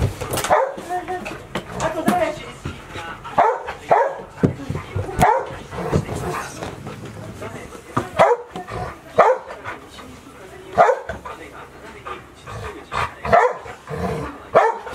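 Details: Golden Retriever puppies, 158 days old, five kept indoors all day at Ain village in Japan as Typhoon 24 approached, 30 September 2018; short yapping barks burst out irregularly over a woman calling the pups by name.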